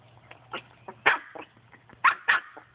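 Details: Playful barking from a Chihuahua romping with a Boston Terrier (Enzo and Zelda): soft yips build into a strong bark, followed by two more loud barks close together and quieter snuffling between them, with a low hum underneath.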